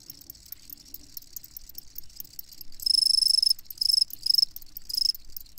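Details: Crickets chirping: a faint bed of high crackling, then from about three seconds loud, pure, high-pitched pulsed chirps in bursts of roughly half a second, separated by short pauses.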